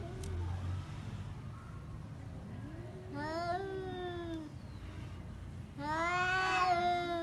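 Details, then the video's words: Domestic pet cats in a fight: wavering low moans rise and dip, then two loud strained yowls with rich harmonics, the last one building to a harsh peak. "Cat fight with real voice"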